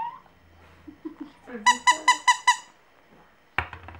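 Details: Orange-coloured Pomeranian puppy 'singing' indoors: a run of five shrill, squeaky, harmonic yelps in quick succession, preceded by soft low murmurs and followed by a short harsh burst at the end.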